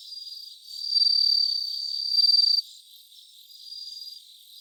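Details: Bell cricket recorded live at around 3 a.m. on 3 September 2023: a high, pure ringing trill swells in loud bursts of about one to two seconds, with softer distant trilling between and a faint steady background hiss.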